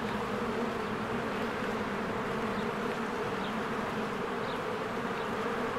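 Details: Swarms of honeybees working at their hive in spring, heard as an even, rich humming drone with steady tonal bands, no breaks, and brief faint high chirps from a distant bird.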